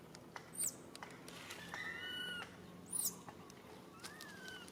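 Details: Monkey; distress call; infant calling its mother for help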